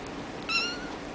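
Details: Young Bambino Sphynx kitten, a hairless short-legged cross of Sphynx and Munchkin, born in a cattery, gives one short high meow with clear stacked harmonics, lasting about a quarter second, over quiet indoor room hiss.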